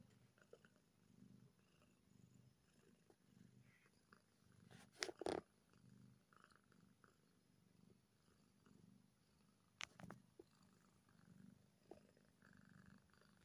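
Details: Happy kitten purring softly, a low steady rumble with a few sharp clicks and knocks breaking through around the middle and near ten seconds.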